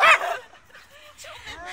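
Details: Chihuahua named Rana barking during a fight between dogs; one loud, sharp, high bark at the start, then quieter yips and whimpering sounds, with people talking nearby.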